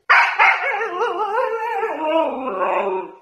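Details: Pet Siberian Husky, female, complaining loudly after her cardboard is taken away: a sustained, wavering, talk-like howl with rippling harmonics, sliding up and down for about three seconds before fading.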